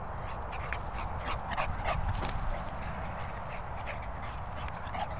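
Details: Dogs at play: English Bulldog Hugo and Bichon Peppa romping wildly together. Brief high whimpers and short yips break through a steady rumble of scuffling and movement noise, with a faint hiss in the background.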